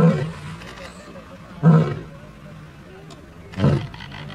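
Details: Lioness roaring in the jungle on a Gir safari at Sasan Gir, India: three short, deep, gruff bursts about two seconds apart, each a low rumbling grunt, over a steady low background hum.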